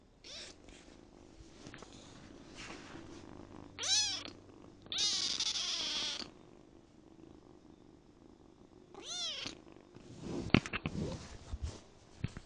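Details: Kitten ten days after adoption giving several harmonic meows: short rising-falling calls near four seconds, a longer louder drawn-out meow around five to six seconds, another near nine seconds, then clicks and rustling from handling or movement.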